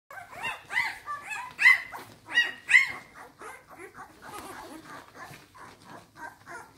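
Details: Litter of 12-day-old Samoyed puppies nursing at their mother, giving high, squealing whimpers that rise and fall, loudest in a run of sharp yelps over the first three seconds, then settling into softer, quicker mewing chatter.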